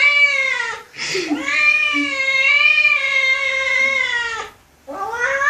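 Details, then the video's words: Kitten meowing: a long, drawn-out harmonic meow lasting over three seconds with a slight wavering pitch, preceded by a brief hiss-like breath, then a rising meow begins at the end. "Top Funny Kittens Meowing Compilation 2015"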